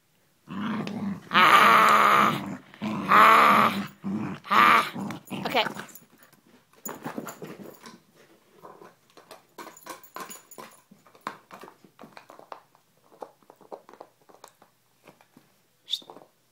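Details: Gracie, a pet dog, playing with a bottle indoors: several loud, rumbling growls in long bursts over the first six seconds, then quieter scuffling, clicks and a woman's voice talking to her.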